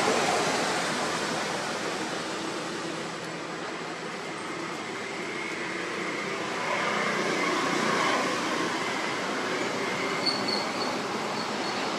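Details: Continuous broadband hiss and hum, like a train or air conditioning, with no animal sound.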